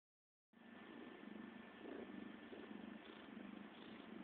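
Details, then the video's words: CeeCee, a pet cat, purring close up: a steady, low, rumbling motor-like purr with gentle regular pulses that begins after a half-second of silence and runs without pause to the end. "CeeCee the Purrrrr Ball"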